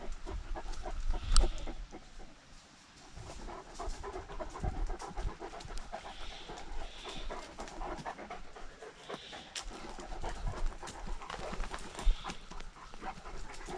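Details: Great Danes out for a walk during lockdown, recorded on a dog-mounted GoPro. Steady, rapid, breathy panting runs throughout, with soft rustling footsteps and a few faint, brief high-pitched blips in the background.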